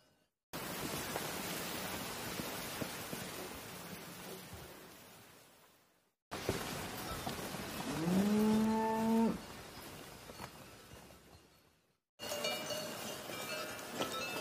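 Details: Cow mooing, a low drawn-out moo near the middle, preceded by a fainter lowing and cut into three segments with steady background hiss.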